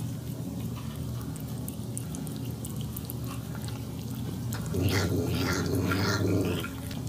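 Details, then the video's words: Female house cat eating her meal and tasting the gravy, making 'yum yum'-like talking sounds: a short run of rising and falling voiced murmurs near the end, over a steady low indoor hum and faint dripping clicks. "Talking Cat LOVES Her Food!"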